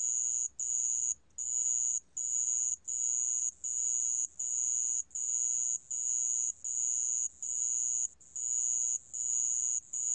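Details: Sand ground cricket from a 2020 National Institute of Biological Resources recording: a high, steady, buzzy trill delivered in bursts of about half a second to a second, separated by brief gaps, roughly 78 per minute, over faint low background hum.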